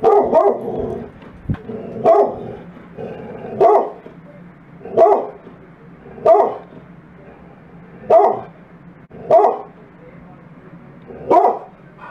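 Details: Dogs, a wolfdog and Great Pyrenees mix, excited while unboxing and taste-testing treats; repeated deep woofing barks roughly every one to one and a half seconds, steady and loud, with faint background room noise.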